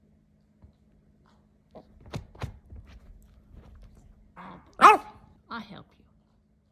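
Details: Teacup Yorkshire Terrier named Oakley, indoors, struggling to get his dirty toy up onto the couch; a few short sharp barks near the end, one loud, after scattered soft thumps and a woman's voice asking about his ball.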